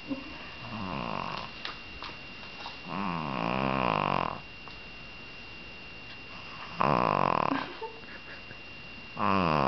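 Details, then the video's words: Pet dog, female, lying limp while picked up or petted, giving a snore-like purring rumble: long harsh buzzy bursts of one to one and a half seconds, separated by quiet pauses, with a faint steady tone in a small room. "Purring Dog"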